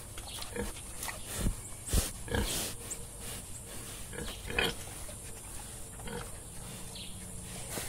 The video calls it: Animal planet. Wild Boar. Video and sound.